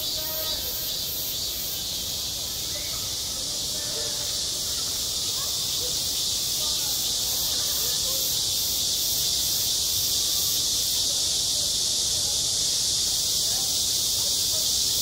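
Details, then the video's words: Cicadas calling in midsummer at a school playground, a sustained sizzling high drone with quick regular pulsing, joined early on by faint distant voices that fade as the buzz swells slightly louder. "한 여름 운동장에서 매미가 울고 있다 - 여름의 소리, 학교 종소리, 매미 울음소리"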